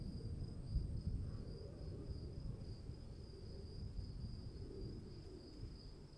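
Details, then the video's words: Rain-soaked night ambience: crickets produce a constant shrill trill with a thin overtone higher still, while deep pattering rain noise fills the low end throughout. "1 hour of cricket sounds in the rain"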